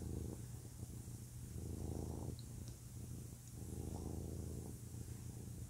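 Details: Male domestic cat purring close up: two long, loud rumbling swells with a quieter pause between, a deep vibrating drone throughout.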